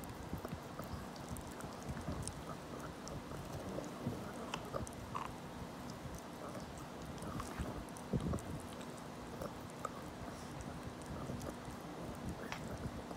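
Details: Elderly 17-year-old dog chewing a rabbit-ear treat: repeated crisp bites and wet mastication clicks at an uneven pace, with a faint constant background hum.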